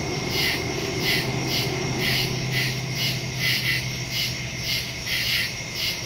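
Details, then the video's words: Crickets in the woods at night, recorded September 2, 2023 on a Samsung Galaxy S22 Ultra phone with a Shure MV88+ stereo microphone: bright, high pulsed chirps about twice a second over a steady insect hum and low rumble. "Crickets in the woods at night"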